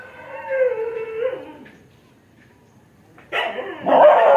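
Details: Dog's wavering whine-like howl fading out, then a short silence before a louder, harsher cry breaks in near the end.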